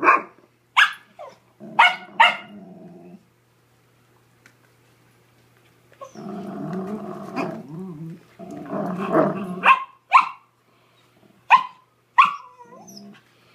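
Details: During office tug of war between The Dread Pirate Windlass and Angus, a terrier being fostered, sharp high barks ring out in quick pairs, then a quiet gap, then a long gurgling growl and more separate yips near the end.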